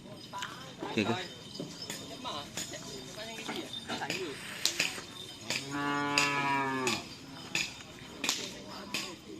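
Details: Bull race training for karapan sapi at Asemanis, Pamekasan, Indonesia: a single drawn-out moo about a second long amid clattering, clinking knocks and scattered voices of a busy crowd.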